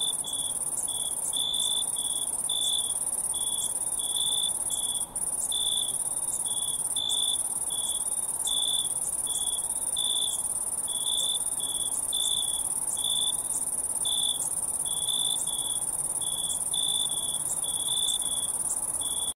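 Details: Crickets chirping through the night, a shrill high-pitched trill running without pause while lower, rhythmic chirps repeat steadily about once every half second, occasionally in short bursts.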